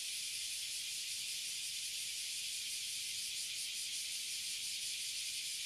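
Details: A tree full of Oily and Bear Cicadas, known in Japanese as Abura Zemi and Kuma Zemi, in Toyohashi City, Japan, gives an ear-splitting, steady, high-pitched hiss with no breaks.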